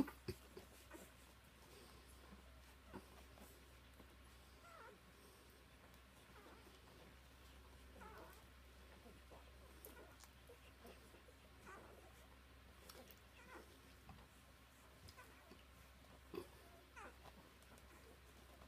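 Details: Samoyed puppies from a Flame x Dimitri litter of four males and one female, Prince Edward Island, Canada: faint, short mewing squeaks and whimpers scattered throughout, a few rising, over a steady low hum.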